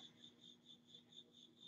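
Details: A cricket chirps steadily indoors, a high pure pulse repeated about four times a second; it carries on even after one cricket was found and smashed.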